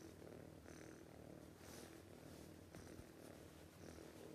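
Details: A cat snoring in its sleep: a constant low grumbling drone with soft breathy whooshes every second or so and a faint click midway.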